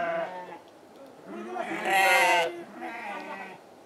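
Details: Farm-kept Totapuri goats, alongside garol sheep and local goats offered for Qurbani sale; a bleat at the start, a louder, rougher drawn-out bleat in the middle, then a softer one, over farm background noise.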